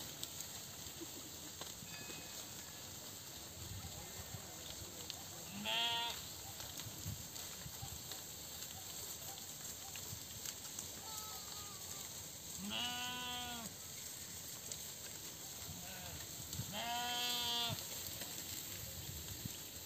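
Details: Sheep in a Nepali herding setting, three harmonic bleats near 6, 13 and 17.5 seconds, each about a second long with a stacked, wavering tone, over steady background hiss and faint distant sounds.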